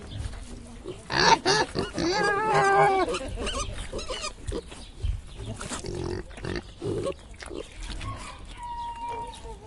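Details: Several pigs in a zoo make rough, irregular grunts, broken early by a loud run of wavering, shrill squeals. Quieter snorts follow, with murmuring people and a thin whistle-like tone near the end.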